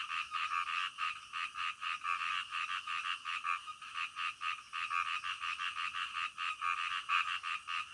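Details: Frog calls in the middle of the night: rhythmic croaks in quick bursts, each a short rasping pulse, repeated steadily over a softer background chorus.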